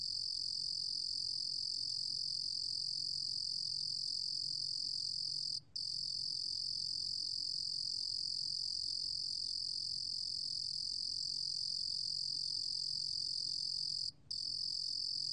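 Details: Korean cricket 루루곰귀뚜라미, recorded in 2020 for the National Institute of Biological Resources. A long, even, high-pitched shimmering trill is interrupted only by two very brief breaks. A quiet low hum runs in the background.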